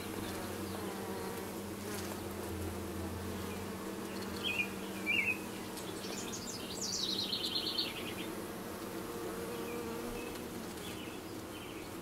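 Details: Honey bees with a newly arrived dark queen, recorded 6/5/13: a steady low droning buzz with layered harmonic tones, broken midway by short high chirping bird calls.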